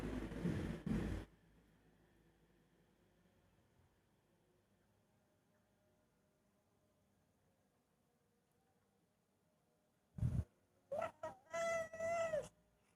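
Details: Cat inside a custom-made outdoor cat house at 5 am: long near-silence after a thump, then a few knocks and two short tonal meows, rich in harmonics and slightly falling at the end.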